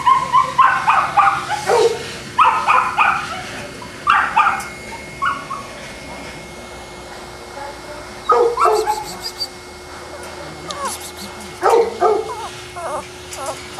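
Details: Boston Terriers at Perrera Jamundí, Cali, Colombia: bursts of piercing yaps and yelps in the first five seconds, a long quiet gap with soft hiss and hum, then further short volleys of high barks toward the end.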